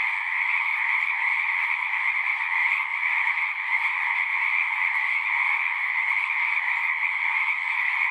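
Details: Many frogs singing together in a dense, unbroken chorus, a steady pulsing trill with strong bands of mid and higher pitch, holding an even loudness throughout with no other clear sounds.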